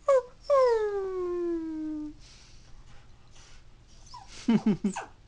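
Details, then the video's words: Female toy poodle born in 2003, indoors, crying and howling when her family leaves the house. A brief cry leads into one drawn-out tonal howl sliding steadily downward for about a second and a half. Short broken yelps follow. "My Adorable Dog Cries and Howls When She Misses Her Family"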